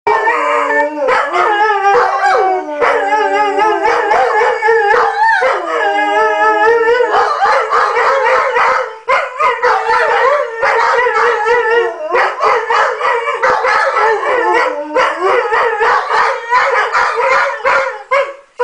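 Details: White German Shepherds howl together in long, wavering, overlapping tones that rise and fall, set off by a passing police car or fire engine with its siren blaring.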